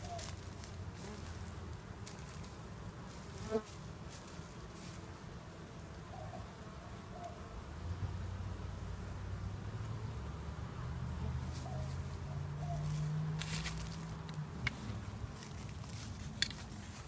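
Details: Honey bees in a hive preparing to swarm once a second queen hatches; a dense, low droning hum that swells slightly midway, with occasional sharp clicks and soft scraping.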